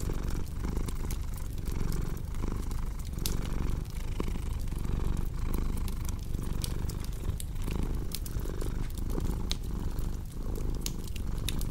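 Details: Low, continuous cat purr pulsing in even breath cycles, partly masked by a dense stream of crackling fireplace pops and snaps throughout.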